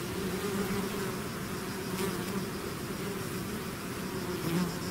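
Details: A swarm of bees out of the hive hums steadily, a full, low, layered buzz with wavering tones rising and falling as insects circle close by.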